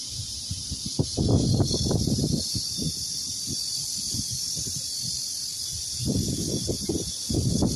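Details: Cicadas keep up a steady, high-pitched electric buzz while rustling and thumps sound nearby, on a farm garden with bamboo where longans are nearly ripe.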